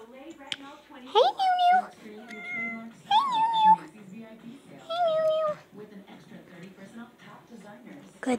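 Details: Pet cats meowing at their owner in a small room: three drawn-out harmonic meows, the first rising sharply, with a low background murmur of speech or household noise between calls.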